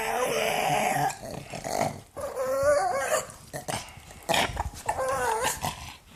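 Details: An angry pug growling in rough, breathy bursts mixed with short whiny wavering notes, uneven rhythm with quieter breaks between outbursts.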